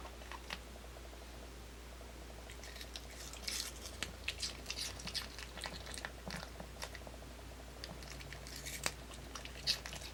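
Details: Pet dog Kimdungi munching an apple in a small room, with sharp, irregular crunching snaps clustered in the middle seconds, softer mouth clicks between them, and a constant low electrical hum underneath.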